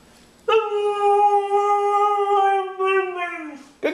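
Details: Dog at home with a plaintive drawn-out howl, like "I want my Mommy", starting after a short quiet, steady and rich in overtones for three seconds, then sagging downward before a brief sharp noise at the end.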